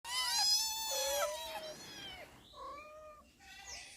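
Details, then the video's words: Domestic cats meowing while being fed, several cats present: a few loud, drawn-out harmonic meows that slide downward, then softer shorter mews after a pause. "Funny cat cute noises when I feed them"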